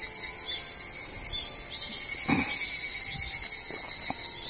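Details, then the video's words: Higurashi cicada (kanakana) beside the parking lot of Izumi Nature Park, recorded 20 August 2012. A quick run of rhythmic pulses rises and then fades over about two seconds, above a steady, dense, high insect hiss. "カナカナ 日暮蝉の声のみ"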